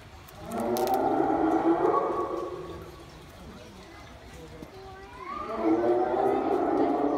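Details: A hyena at a small park zoo in Saitama, Japan howls, giving long, moaning harmonic calls, the second sliding upward at its start.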